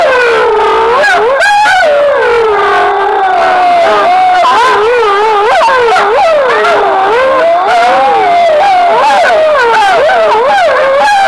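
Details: Wolves in Foreste Casentinesi National Park, Italy, answering a sound stimulus during a 2013 wolf-howling census held alongside the red deer rut count; several animals howl together in a dense chorus of wavering, overlapping tones that rise and fall, with yips mixed in.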